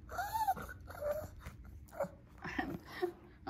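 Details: Lacey, a female Shih Tzu pet indoors, talks for her treats: a run of whiny, moaning yowls rising and falling, about five bursts in under four seconds, with harmonics and a faint steady hum underneath.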